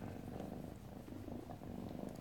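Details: Happy kitten purring loudly indoors in a small room in the morning; continuous low, even rumble with a steady pulsing rhythm and no other clear sounds.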